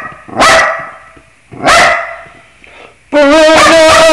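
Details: Dog joining in with scales: two sharp, separated bursts, then a loud, sustained, wavering howl with rich overtones over the last second.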